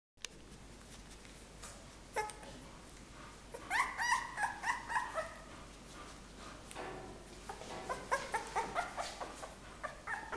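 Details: A 17-day-old white female English Bull Terrier puppy gives thin, squeaky whimpers in quick bursts against a soft room hiss.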